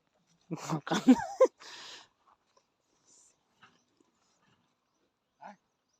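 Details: Newly acquired male Sivas Kangal pup, very irritable and jealous of its food around a female pup and a chicken, being raised to guard the flock; a cluster of harsh, snarling growls and yelps in the first 1.5 seconds, then near silence with faint scattered sounds.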